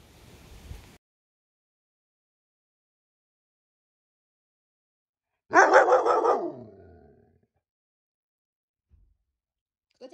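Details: Central Asian Shepherd puppies from litter O at six months old, on their birthday: a single loud yelping bark with falling harmonics, lasting about a second and a half, set between stretches of silence and indoor talk.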